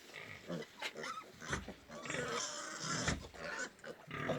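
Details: Pigs on a farm in Golaghat, Assam, India: harsh, noisy grunts and squeals come in irregular bursts, some short and some drawn out, with overlapping calls from several animals and faint background noise.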